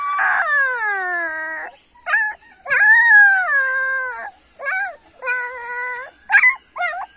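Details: A German Shepherd puppy gives loud, clear howling whines: a long falling cry, then a run of shorter wavering yelps and drawn-out howls, some rising and dipping, with brief silences between them.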